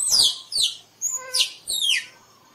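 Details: Squirrel uttering loud, piercing squeaks that sweep steeply downward, about five notes in under two seconds, one brief thin steady whistle between them.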